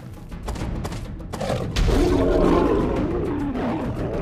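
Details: In the African savanna, a dominant male lion fights a solitary intruder male over his lionesses and territory, giving a loud, wavering growl that swells into a harsh, rumbling snarl.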